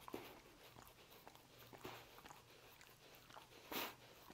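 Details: Dog eating roast beef: soft, scattered clicks and crunches of chewing, with a louder sharp bite near the end, over a quiet background.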